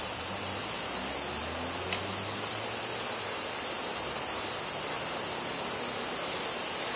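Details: Kobe, Japan, 14 August 2011: higurashi (Tanna japonensis) cicadas fill the air with a constant bright, hissing drone taken on a Zoom stereo recorder, while faint low hums and one brief high click sit underneath.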